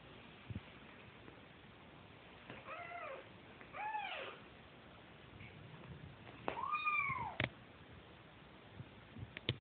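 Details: Kittens, brothers searching for their mother's milk, make three arched, plaintive mews spaced a few seconds apart, the last one longest, amid rustling and handling noises.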